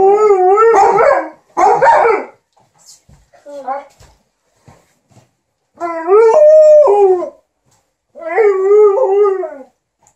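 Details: Two pet dogs, an Alaskan Malamute named Liza and a Golden Retriever named TJ, "talk" to their ironing owner: brief loud yowls, a quiet gap with soft murmurs, then two long wavering, undulating howl-like phrases.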